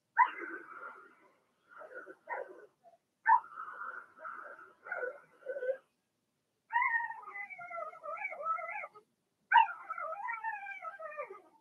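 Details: Puppy pen of Blenheim Cavalier King Charles Spaniels, Remy's first litter of two females and four males during potty training; choppy whimpers give way to longer, clear, wavering cries with rising and falling pitch.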